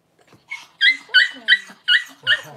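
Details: Cavalier King Charles Spaniel puppies just born as their mother Paris whelps her first two pups at home: a loud run of five high, sharp squeaking squeals in quick succession, roughly one every third of a second.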